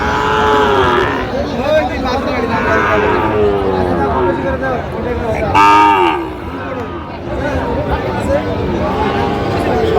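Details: Sahiwal cattle, bull calves for sale at a busy market in Tangail, Bangladesh, 18 December: loud, long lowing calls from several animals, one rising sharply near six seconds, over constant human voices and crowd noise.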